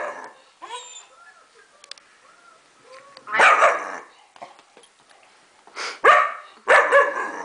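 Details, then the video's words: Four-month-old German Shepherd reacting to a recording of young German Shepherd puppies: thin high whimpering and squeaky puppy noises first, then three loud, harsh, broadband barks, one mid-clip and two close together near the end. "German shepherd's reaction when listening to german shepherd puppies!"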